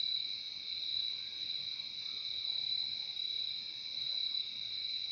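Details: Continuous cricket chorus, a bright high-pitched trill that never breaks, two pitch layers stacked together, evenly loud throughout with a soft low rumble underneath.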